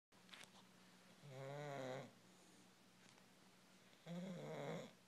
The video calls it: English bulldog snoring